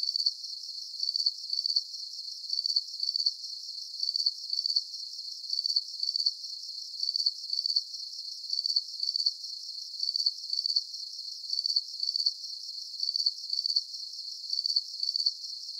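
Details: Steady night chorus of crickets for relaxation, with very regular trains of high, rapid pulses repeating about every half second over an unbroken high hiss, and nothing deep in the background.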